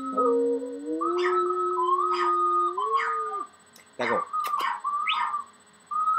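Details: Puppy in army gear howling with a flute: a low, smooth howl that rises and holds, then fades, followed by short flute phrases and a few sharp knocks.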